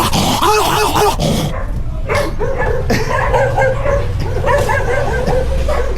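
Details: Dog making funny, wavering vocal sounds: runs of short, whiny yips and moans that bend up and down in pitch, coming fast and unevenly over a rough, noisy background.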